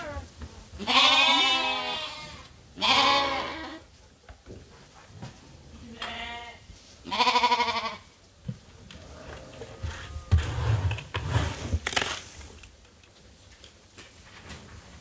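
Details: Sheep and lambs at Ewetopia Farms waiting to be fed during daily chores in lambing season; four loud, wavering, harmonic bleats about two seconds apart, then clanking and rustling farm noises.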